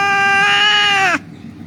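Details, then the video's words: Injured cat found lying on a street, crying as rescuers prepare to treat it: a single drawn-out, steady-pitched meow that dips slightly and cuts off abruptly after about a second. "The cat was lying on the street crying"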